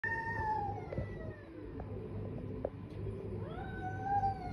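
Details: Cats fighting: drawn-out, wailing yowls that slide and waver in pitch, one at the start and another rising near the end, over a constant low hum and scattered faint clicks.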